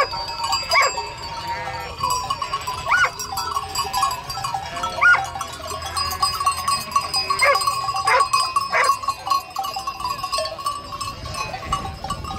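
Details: Domestic sheep calling in a flock, many overlapping quavering bleats of varied pitch, some long and sustained, others short, forming a continuous busy chorus.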